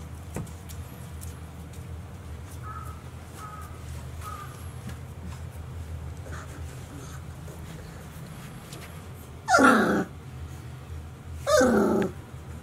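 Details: Golden Retriever puppies, 30 days old, from a litter of five males and one female born 26 April 2018, filmed 25 May 2018 at Ain village, indoors. Two short, loud, harsh yelps about two seconds apart near the end, over a low steady hum with faint squeaks earlier.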